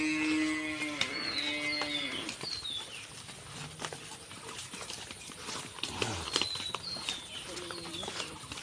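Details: Two cows kept for the Qurbani sacrifice, shown as they are brought home. A long, deep, drawn-out moo lasts about two seconds at the start, then a shorter lowing comes near the end, with high chirping bird notes and faint voices behind.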